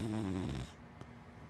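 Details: Sleeping black dachshund and Labrador mix dog snoring: one long, low, rumbling snore with stacked harmonics, then quiet breathing.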